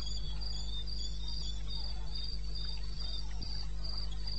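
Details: At 2:30 am on 21 May 16, a cricket in the eastern Botswana wilderness gives rhythmic high-pitched pulses in a quick, regular series, with constant low droning hum and occasional faint thuds.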